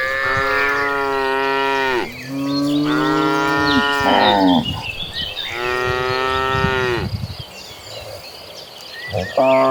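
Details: Cattle mooing loudly as a big herd of tame cows is moved toward a green pasture: three long, strong, overlapping moos, each about two seconds, dipping at the ends, with a fresh call starting at the close and birds twittering behind.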